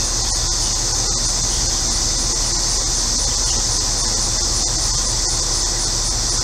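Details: Central Illinois cicadas buzz in a dense, unbroken high-pitched wall of sound on a hot day. A neighbor's air conditioner rumbles low beneath the chorus throughout.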